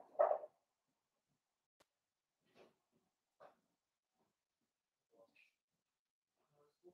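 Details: Blenheim Cavalier King Charles Spaniel puppies, part of a litter of five born on New Year's to Paris and Spike, playing with their mother in an indoor puppy pen; one sharp yip opens the clip, followed by faint scattered ticks and squeaks in a quiet room.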